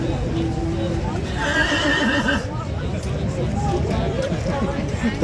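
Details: A horse at Horse Guards Parade in London gives a brief, wavering whinny over a busy crowd of people talking, startling a tourist into running.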